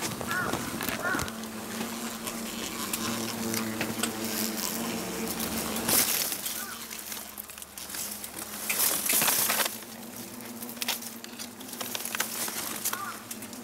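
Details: Yellow hornets swarming from a huge nest that hangs from a garden tree over the paved path to a front door, Ono town, 26 September 2017. A steady low droning buzz with stacked overtones, broken by loud bursts of hissing noise and possible voices.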